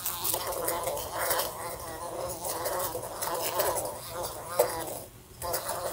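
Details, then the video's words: Fly buzzing indoors in a room beside a lamp and bumping into it: a steady, wavering drone that rises and falls in pitch, broken by sharp taps as it hits the lamp and a brief near-silent gap. "A Fly Buzzing Sounds"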